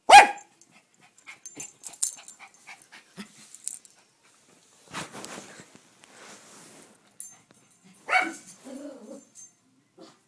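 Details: Pet dog barking at the mail man: a sharp bark at the very start, scattered softer sounds, then another strong bark around eight seconds followed by lower, rougher calls, with quiet gaps between.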